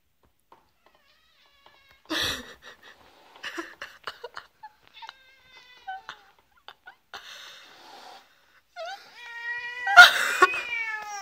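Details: Pet cat reacting to cookies shaped like cats, which it dislikes: scattered short chirps and mews, soft rustling, and a louder drawn-out wavering meow near the end.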